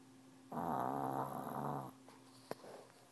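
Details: Dog asleep under a desk, face pressed to the wall, makes a single buzzy, vibrating snore of about one and a half seconds, then a faint click and soft rustle.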